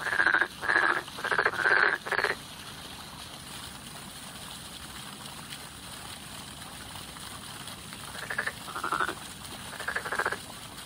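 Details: Spring frog calls: four loud rattling croaks in quick succession at the start, then a pause, followed by softer, more distant croaks near the end.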